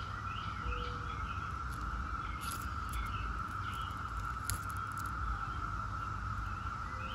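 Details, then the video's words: Dense periodical cicada chorus of Brood X, the 17-year brood, steady and unvarying, with scattered bird chirps, sharp clicks and a few short whistles over a low rumbling background. "17-Year Cicada Brood X Sounds"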